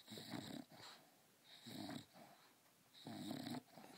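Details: English Bulldog Leidy, asleep and sucking her teddy bear, gives three heavy, raspy snoring breaths about a second and a half apart, each a drawn-out, wheezy nasal rumble followed by a brief quiet pause.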